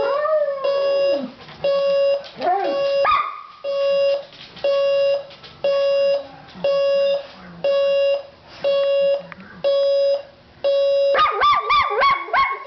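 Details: Oscar the dog responds to a beeping alarm clock with a falling howl and whimpering yips, the alarm beeping steadily about once a second, ending in a burst of quick yelps.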